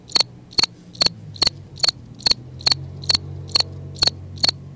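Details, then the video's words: Cricket singing in a front yard, giving sharp high chirps made of two or three rapid pulses, evenly repeated about twice a second over a faint low background hum. "How a Cricket looks making noise"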